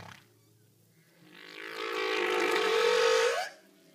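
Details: Humpback whale underwater communication: a single sustained, tonal moan with rich harmonics swells in after a quiet start, holds level for about two seconds, then slides slightly upward and cuts off.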